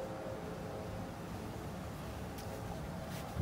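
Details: Outdoor rumble, like a distant engine or wind, with a faint thump near the end and no animal voice heard.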